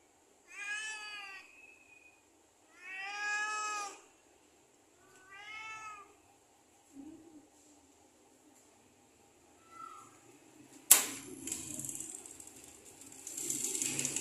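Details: Cute cat or kitten meowing: three long, harmonic-rich meows about two seconds apart, then a short low call and a brief higher note, ending in a burst of rustling handling noise.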